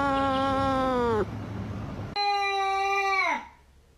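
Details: Cat calls twice: a falling meow, a noisy pause, then a loud sustained meow that drops in pitch at the end before fading.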